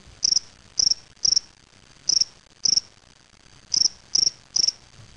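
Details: Spring field cricket (Gryllus veletis) singing in a small cage, Waterloo, Ontario, Canada, May 25, 2007; loud high-pitched chirps of three to four rapid pulses, about eight chirps spaced irregularly with a pause mid-clip, quiet background.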